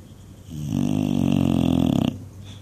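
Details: An English Bulldog snores loudly while dreaming, one sustained deep rattling snore lasting about a second and a half with a fluttering, flapping texture, then quiet.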